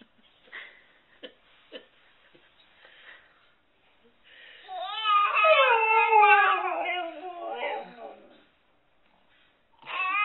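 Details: Siberian Husky mimicking a baby's babbling indoors: faint soft sounds at first, then a loud wavering, warbling howl-like vocalization that slides up and down for about four seconds, followed by quiet and a final rising cry.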